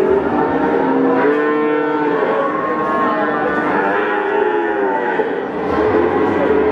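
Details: Male Peranakan Ongole cattle at Pasar Pon market, Ambarawa, Central Java, giving drawn-out level moos that overlap one another against busy crowd and market background noise.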